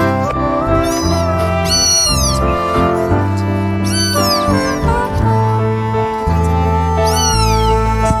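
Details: Abandoned newborn kittens found in a trash bin cry out in a few loud, high, downward-curving meows, spaced apart, with continuous music playing underneath.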